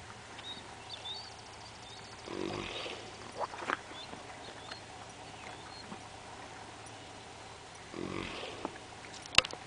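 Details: Napping Haflinger gelding Teddy, aged four, at Camp Cherith in the Adirondacks on a Saturday morning. Two long, airy, rasping snores come about six seconds apart over steady outdoor background, with thin high bird chirps and small clicks.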